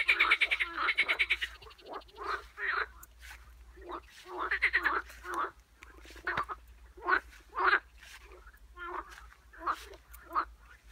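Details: Several frogs croaking: bursts of raspy, pulsed calls come in uneven clusters, loud at first, then thinning into separate short croaks.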